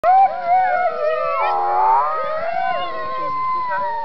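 Several sled dogs howl together in long, wavering, overlapping tones that rise and fall.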